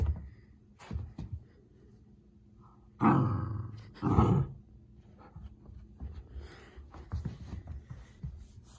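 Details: Pomsky puppy gives two short, rough, low growls between quieter scuffling sounds while chewing a wash cloth and running from its owner in play.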